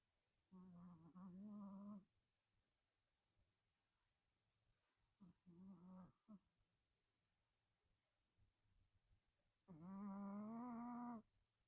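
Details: Hacchan, a pet Chihuahua puppy, snoring while asleep: three drawn-out, tonal, nasal moans, each about one to one and a half seconds long and separated by quiet pauses, the last slightly rising and the longest.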